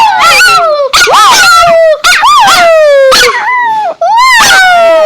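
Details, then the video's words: Domestic dog howling up close, each drawn-out whine rising sharply then sliding down, repeated about once per second in five loud, tonal bursts. "When my dog makes noise"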